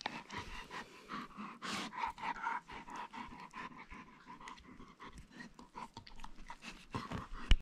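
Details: Playful pet wolfdog Boris panting steadily at close range indoors, breathy rhythmic huffs with a low throaty undertone and a brief louder exhale near the end.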